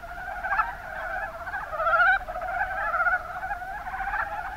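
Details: Group of Mountain brown frogs calling in the Kuma Basin, Kumamoto, Japan: overlapping pulsed, rattling croaks, with a louder burst around the second second before the chorus continues more evenly.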